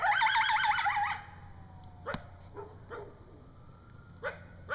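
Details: Coyote at night in woods, an adult howling with a young coyote whimpering nearby: wavering, quavering yips at the start, then brief sharp barks and yelps spaced through the rest.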